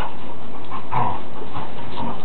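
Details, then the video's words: Two big dogs, one named Tara, play-fighting roughly; low rumbling growls and scuffling with a brief whiny tone near the middle, while a person eggs them on in the background. "dog fight"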